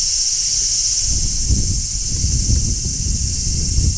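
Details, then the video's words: Large brown cicada shrilling from a tree in midsummer: a steady high electric buzz runs throughout, overlaid with close leaf rustling and low scraping noises. "Cicadas Sounds | Cicadas Singing in Midsummer | Large Brown Cicada"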